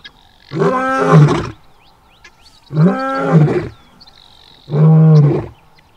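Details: A male lion in South Luangwa gives three deep, rumbling roars, each about a second long, spaced evenly apart.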